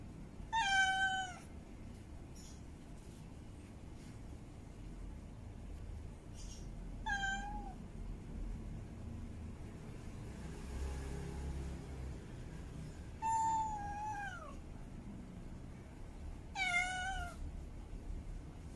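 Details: Female cat in heat giving mate calls: loud meows spaced several seconds apart, some with a wavering pitch and a falling tail, plus a faint distant meow in the middle over steady low background noise.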